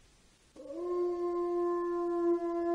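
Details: Wolf. A wolf gives a sustained howl, starting abruptly, swelling briefly, then holding a pure, level, mournful note. The tone carries clear overtones and stays steady to the end.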